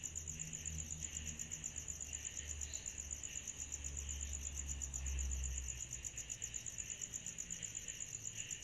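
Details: Summer night cicadas keep up a bright, rapidly pulsing whine with a softer buzz beneath. Intermittent low rumbling swells in the background, peaking briefly midway.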